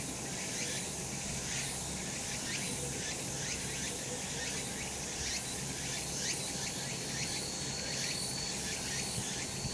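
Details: Cicadas calling on a sunny summer mountain: a dense, hissing buzz of many insects with rapid pulses throbbing through it, steady for the whole stretch, with a low rumble of background noise.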